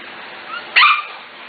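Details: A single high yip from Corgi puppies aged five to six weeks, from the Katie, Emma and Annie litters, short and sharp with a faint whine just before, over steady background hiss.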